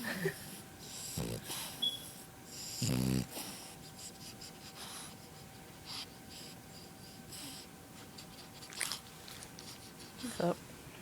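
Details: French Bulldog puppy snoring indoors in a small room, eyes open while still snoring; rough breathy snorts come in uneven bursts, the loudest near three seconds and again toward the end, with a soft voice speaking between them.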